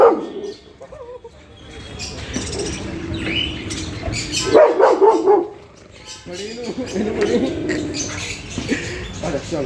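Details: Rottweiler. Deep, chesty barks from a Rottweiler come in uneven bursts, some rising into higher yips and whines. A person's voice talks over and between the barks.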